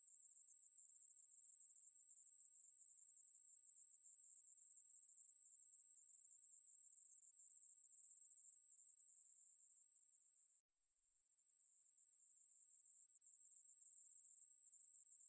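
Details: Ruspolia katydid song from a 2020 national biological resources institute recording: an unbroken high, hissing buzz that drops out briefly near the eleventh second, then resumes and swells back to full strength.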